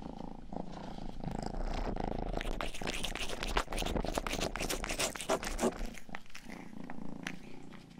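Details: Rang-i, the household's youngest pet cat, purring while licking a 3Dio binaural ear microphone indoors; a steady low rumbling purr runs throughout, overlaid by wet licking clicks and smacks that thicken toward the middle.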